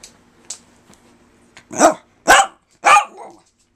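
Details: A pet dog "talking" to its owner and persisting: three loud, throaty, bark-like vocal bursts about half a second apart, following a few soft clicks in a quiet room.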